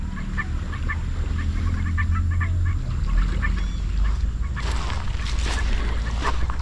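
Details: Frogs in swampy land beside a beach at Dangriga, Belize: a steady chorus of short, nasal, honking notes over a heavy low wind rumble. Frog.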